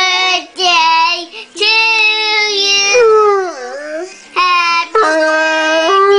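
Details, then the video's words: Several bloodhounds howl along in long, wavering tones while a 3-year-old child sings Happy Birthday. "Bloodhounds singing Happy Birthday!"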